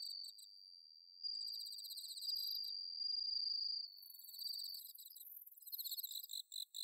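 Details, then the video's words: High, pure ringing trill of a bell cricket in Chiba's Inba-numa rice paddies, Japan, on an autumn night, swelling and holding for several seconds while other crickets chirp in quick pulses and a shimmering high buzz joins later. "秋の虫の鳴き声 スズムシ コオロギの鳴き声"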